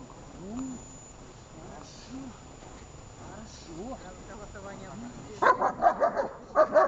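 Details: Shepherd dog in Horlivka on 6 June 2021 during training: a person talks for about five seconds, then a burst of loud, rapid barks, roughly six, fills the final second and a half.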